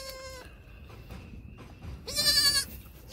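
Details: Triplet goat kids only six hours old, born 1/6/2021, giving baby bleats; a short high bleat, a quiet pause, then a louder, harsher half-second bleat near the end.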